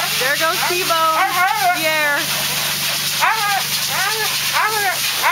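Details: Thunder, a Siberian Husky, cries and howls while being groomed: a run of wavering, rising-and-falling howls, then three shorter arched wails, over a steady hiss and hum.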